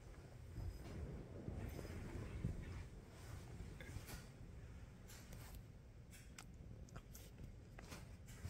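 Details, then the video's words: Nacho the cat, wearing a cone, purrs as he wakes from a nap: a low, rumbling, rapidly pulsing purr that runs steadily throughout, with faint rustling above it. "The purr is greater than the cone"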